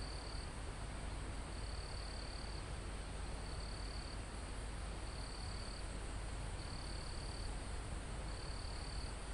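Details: Mountain-forest crickets close to the summit, a live natural recording: a run of high, even trill bursts, each roughly a second long with short gaps between them, over a steady rushing backdrop of wind in the leaves.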